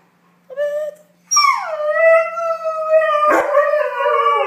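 A Siberian husky howls in long, wavering tones after a brief opening yelp.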